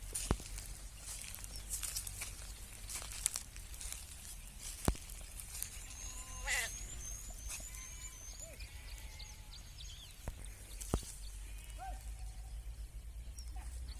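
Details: Sheep on a sheep farm give a few short, wavering bleats scattered through the recording over steady rural background noise, with high chirping birds, occasional sharp knocks and some speech.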